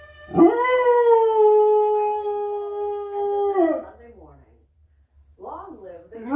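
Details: A dog howling at a CBS trumpet, one sustained, even tone rising at the onset and sliding down after about three seconds, followed by short wavering yelps and a moment of quiet.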